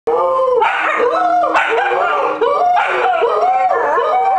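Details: Two pet dogs on a military base howling along to the nightly 9pm "Taps" on loudspeakers; loud, high-pitched wavering howls in long sustained tones, several overlapping, rising and falling throughout.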